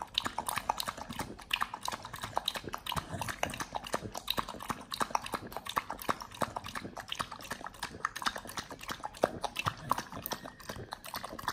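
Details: A Pit Bull crunches through raw quails, fed on a BARF raw diet, heard at close range: fast irregular bone-cracking bites, around three per second, with wet smacking and crackle between them.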